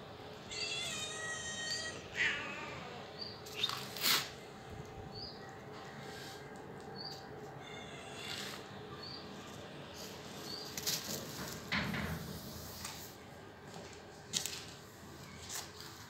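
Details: A cat meows indoors: a short harmonic meow near the start, then scattered brief mews and faint calls over a steady background hum, with some clattering noises and a few spoken words.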